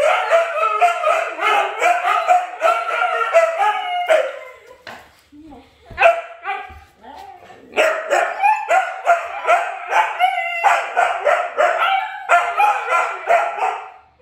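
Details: Siberian Husky vocalising, from a family of Luna, Gizmo, Arya and puppies: choppy, rapid yowling barks in bursts, a quieter gap in the middle with faint sounds, then the rhythmic yowling resumes.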